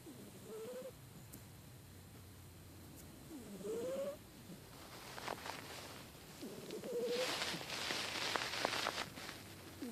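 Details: Amy, a pet cat with a cold, snoring: raspy breaths with a squeaky, rising whistle roughly every three seconds, joined later by a burst of hissing, rattling noise.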